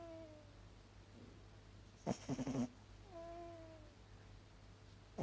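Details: A female miniature dachshund, asleep, gives thin, nasal whimpers, each a drawn-out tone sagging in pitch, with a short breathy huff, almost a stifled bark, midway before the whining resumes.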